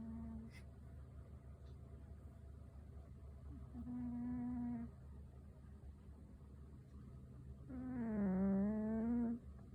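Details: A fat black cat snoring indoors: low droning tones with a whistling overtone, each breath lasting about a second, the last one louder and wavering, over a steady low hum.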